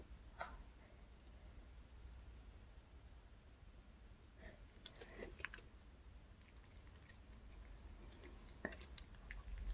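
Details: Pet dog Reka eating a chocolate cupcake and milk bought at the K Pet Fair, indoors in a small room; soft, scattered chewing clicks and sharp crisp ticks spread over quiet low room hum.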